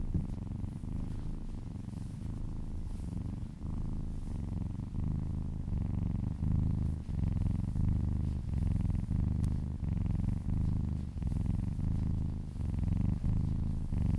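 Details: Relaxed pet cat purring under massage indoors, low throaty rumble rising and falling with each breath, roughly every second or so, steady and close.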